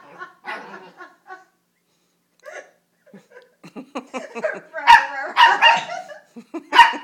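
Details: Female Sheltie puppy watching her people exercise, giving soft grumbling whines that build into sharper, louder yips and barks toward the end, with a person speaking briefly.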